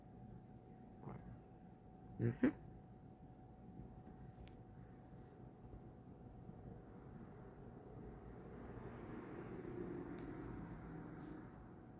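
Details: A low indoor rumble with a steady hum and a few knocks; no animal voice is heard. Faint clicks and a slow swell of background noise fill the rest.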